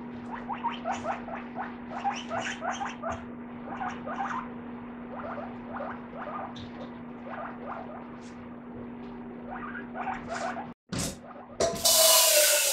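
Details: Guinea pig squeaking as it comes out while rice is being washed: rapid series of short high squeaks in bursts, repeated many times over about ten seconds, over a steady electrical hum, ending with a loud rush of running water.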